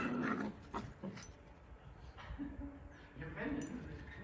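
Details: Two playing corgi puppies give short, nasal whimpers and yips in scattered bursts.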